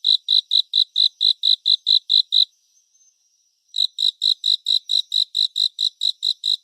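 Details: Cricket sound for relaxation and sleep, framed as a cricket concert in 3D surround: rapid high chirps pause for over a second, then resume at the same quick, regular pace. No other noise is present.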